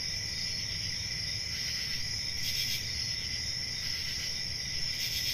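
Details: Crickets calling at night in a summer forest, a continuous high buzzy trill with a couple of brighter chirping swells over a low background hum.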